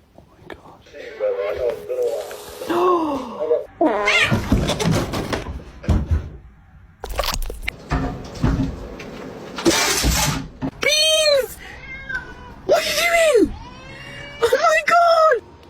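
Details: Pet cat named Beans, apparently trying to bite, gives several arched meows rising then falling, each about half a second long, in the later seconds, amid a person's excited talking and laughter.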